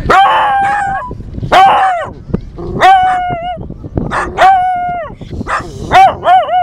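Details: Clover, a female dog, howling at the beach: a series of drawn-out, wavering tonal howls, each lasting under a second, several with falling ends, over steady surf-like background noise.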